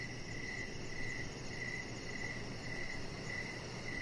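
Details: In the evening outside on a deck, crickets sound regular bright chirps several times in a few seconds. Steady low-frequency hum and a faint, very high, rapidly pulsing insect note accompany them.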